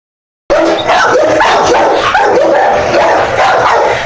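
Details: Dogs barking, a fast busy stream of high yapping barks and whines packed closely together, several voices overlapping loudly with no pause after the first half second.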